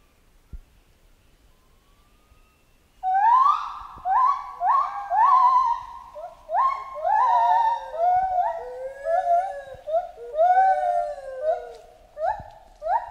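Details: After three seconds of near silence, a jungle chimpanzee launches into a long, accelerating run of rising, wavering hoots that grow more varied and tumbling toward the end, with strong harmonics throughout.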